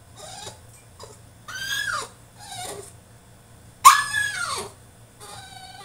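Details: Caged French Bulldog in a tantrum, letting out a run of short whines and sharp yelps that rise and then fall in pitch, the loudest a piercing squeal near the middle, with brief quiet gaps and a low background hum.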